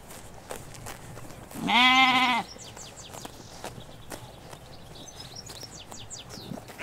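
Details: Single loud, quavering bleat lasting under a second from sheep in a Hampshire countryside field with ewes and lambs, set against quiet rural ambience and faint bird chirps.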